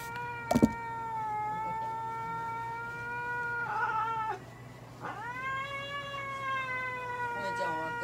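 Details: At a Nagoya veterinary clinic, the Norwegian Forest cat Kone-chan, being treated with light therapy, nail and paw-pad trimming and anal gland expression, utters long, steady, sustained yowls. One sags at its end. A clatter opens, under a constant low electrical hum.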